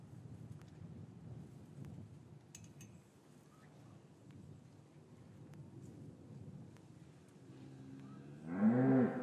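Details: Cow lowing in a traditional English cattle yard on a winter afternoon, after the calves were separated from their mothers, recorded on a matched pair of Rode M5 microphones: a quiet yard murmur with scattered knocks, then one loud, rising, harmonic moo at the end.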